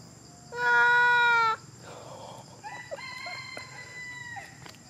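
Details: A monkey cries with one loud, flat, even wail of about a second, followed by fainter broken tonal squeals and soft rustling.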